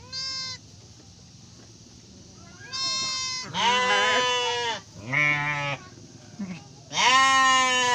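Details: Bleating Garut sheep as a ewe delivers triplets: five loud, harmonic bleats, some long and shaky, others brief, separated by quiet pauses, ending on a strong, high bleat.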